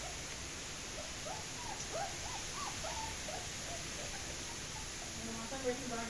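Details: German Shepherd puppies escaping, giving a run of short, arching whimpers in quick succession, each rising then falling, fairly soft against a steady background hiss.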